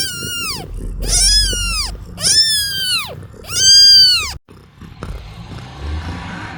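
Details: Baby kittens, shown sleepy and yawning, mew four times in quick succession with loud, bowed, rising-and-falling cries, followed by a few seconds of quiet rustling.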